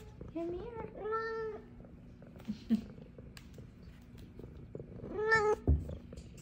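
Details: A pair of F2 Savannah cats happily meowing at their owner's return from work; two clear meows, one early and one near the end, with quiet rustling and brief talk between.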